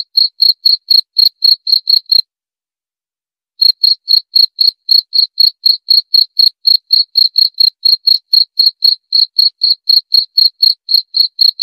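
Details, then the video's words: Cricket chirping in fast high pulses, around four each second, broken by a silence of over a second before the steady rhythm picks up again and runs on. "Suara Jangkrik"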